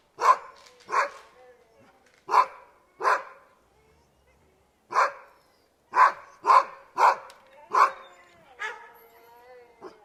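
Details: Dogs barking at the gate: sharp single barks in an uneven series, about two per second in places with pauses between, ending in a drawn-out whining bark with clear tonal bands.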